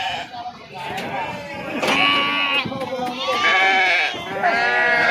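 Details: Sheep unloading at the Pebbair market: a few drawn-out, wavering bleats swell after a quieter start, some high-pitched and sustained, over a bed of voices and handling noise.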